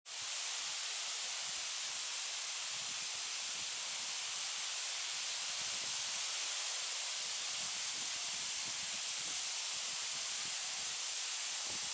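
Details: Only a steady, even hiss of wind or rustling leaves, with no animal calls.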